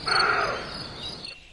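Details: Roe deer; bark; alarm call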